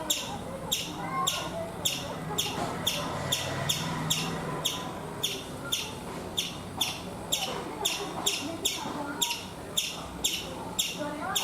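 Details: Chipmunk sounding off on a coconut tree in India, a steady train of short, sharp chirps at an even pace, with faint bird twitters and a low hum in the background.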